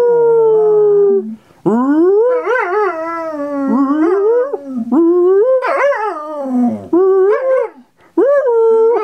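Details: A Groenendael (Belgian Sheepdog) howls back at a person's howl in long, wavering, rising and falling tones, with short breaks between phrases.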